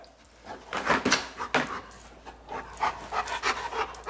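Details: Giant Schnauzer, a male dog, eating a three-foot bone indoors; quick breathy pants and chewing noises in bursts, with a man's voice praising him nearby.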